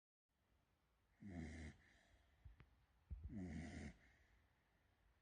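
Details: Sleeping female Beagle puppy snoring: two loud rasping snores about two seconds apart, each with a harsh buzzy breath, plus small clicks between them in a quiet room.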